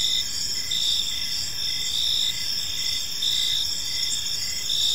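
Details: Park crickets at evening: several insects overlap, giving a bright sustained high trill, and a softer chirp repeats steadily below it, roughly once a second, with a gentle low hum behind.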